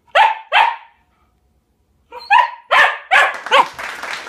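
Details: Pet dog barking as its turn in a playful spelling bee after the word "Bart" is given. Two quick barks come first, then a pause, then a burst of four or five louder, rougher barks.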